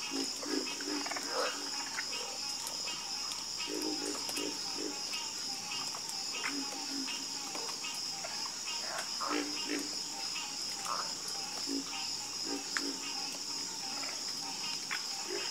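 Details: Croaking frogs in a night chorus, with repeated low, hollow croaks in uneven clusters and several callers overlapping. A high, unbroken drone fills the background.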